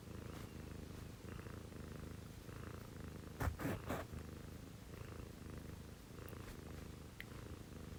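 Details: Domestic cat purring at 6 a.m. beside its housemates, a female Scottish Fold and a female Munchkin: an even low rumble pulsing with each breath, interrupted midway by a short burst of scratchy rustling.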